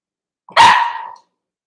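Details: Cavalier King Charles Spaniel puppy, one of a litter born 06/09/2022 with Ruby and Blenheim coats, heard overnight on 8/27 indoors: a single short, sharp yelping bark that fades quickly into silence.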